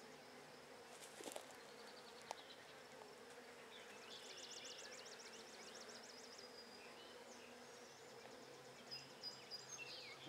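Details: Agitated Buckfast honey bees swirling over an opened hive during a brood check on 23 May 2009. The bees give a steady droning buzz beneath a quick repeated bird trill, with occasional knocks and clicks.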